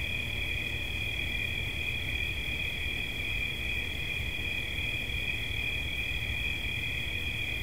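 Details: Cricket chirping as a relaxation soundscape: a steady, shrill, continuous trill at a high, fixed pitch with a second band just above it, over low rumbling background noise.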